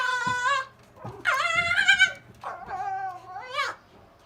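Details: Zorro, a silver fox, whining at his older brother Tod, who wants to get past him onto the kennel top; harmonic, wavering whines rising and falling, in several bursts with short gaps between.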